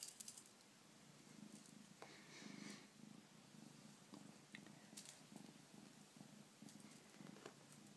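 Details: Bengal kitten purring softly close by: a low, steady rumble pulsing rhythmically throughout, with scattered small clicks and rustles over it.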